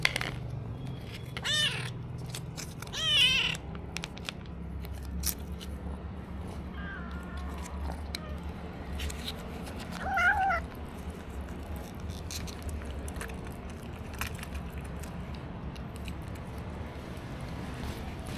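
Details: Stray kittens with little food, recorded on an action camera: several short meows scattered across the stretch, two louder near the start and one around the tenth second, amid low hum, clicks and light background noise.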